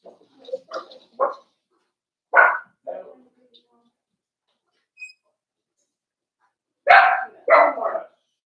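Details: Daisy's four-week-old Cavalier King Charles Spaniel puppies bark and yelp in their indoor pen: a scatter of small yips, then two louder, raspy barks close together near the end, in a quiet room.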